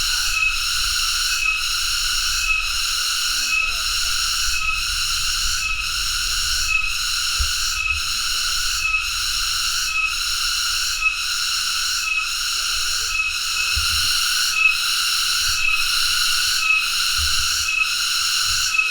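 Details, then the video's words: Cicada (tonggeret) giving a loud, steady, high-pitched buzz with layered harmonic bands, briefly dipping roughly once a second in a regular pulse; faint low rumbling underneath. "tonggeret (Cicadidae) sound"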